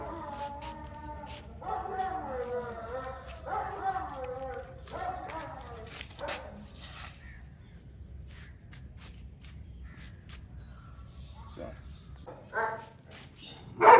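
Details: Gultair bully dogs, a male and a pregnant female, at a kennel: a run of harmonic, whining barks in the first six seconds, then a quieter stretch with faint sounds and a sharp loud burst at the very end.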